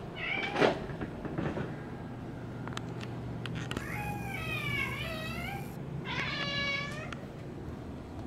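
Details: Pet cat Bean, female, keeps meowing at the door as hard rain falls; a series of drawn-out wavering meows, several overlapping, with clicks and a low rumbling hum in the background.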